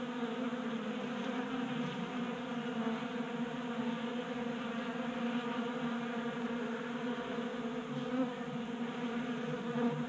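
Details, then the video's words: Many honey bees feasting at a 3D-printed feeder on a garage workbench in Colorado during a warm January spell, producing an unbroken droning hum with layered, gently wavering pitches that never pauses. "45 Minutes of Honey Bees Feasting from 3D Printed Bee Feeder ASMR"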